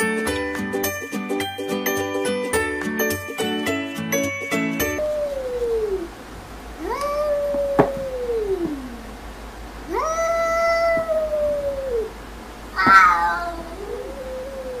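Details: Domestic cats said to be talking to each other; after a few seconds of music, three drawn-out, falling meows follow at roughly three-second intervals, the last one higher and wavering.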